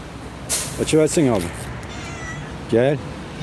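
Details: Pregnant domestic cat meowing: two short wavering meows close together around the one-second mark, then a third about 1.5 seconds later, with a man speaking Turkish nearby.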